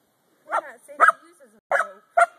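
A corgi grumbles in four short, throaty yowls, each a rough, wavering burst about half a second apart.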